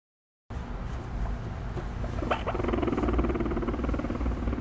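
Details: A guinea pig (Cavia porcellus) gives a low, rapidly pulsing brrr, a buzzy vibrating rumble, in reaction to being stroked from behind; filmed in 2018.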